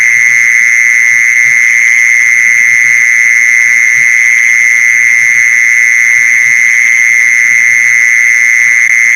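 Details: Continuous mole cricket trill, played to lure mole crickets: a level, monotonous buzzing tone without breaks, with a faint low rumble in the background.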